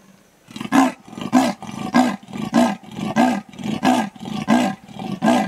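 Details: Female leopard at Toulon, Sabi Sands, greater Kruger, giving a territorial rasp after grooming and yawning: a loud, hoarse sawing series of about nine strokes, roughly one every 0.65 seconds, each a rough in-out grunt.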